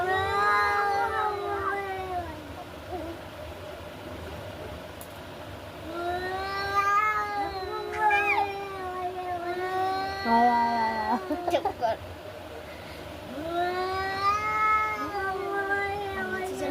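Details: Domestic cats fighting: long, wavering, harmonic yowls that rise and fall, in three drawn-out bouts separated by short pauses, with a few sharp bursts near the end.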